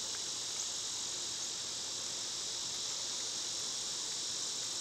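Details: Cicadas in summer, when they are loud, make a steady, unbroken high hiss that fills the whole clip at an even level, with no pauses or changes in pitch.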